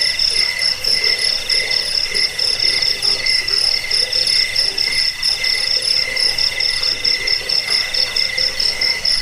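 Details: Continuous high cricket chirping, used to chase away rats, lull listeners to sleep and tutor caged birds; several pulsed trains at different pitches overlap steadily.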